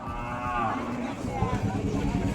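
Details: Khillar cattle at a breed show in Chimangaon, Satara, Maharashtra, during the 2026 Kaleshwar fair, where heifers over one year old were judged; a brief rising, wavering moo over loud crowd chatter and background noise.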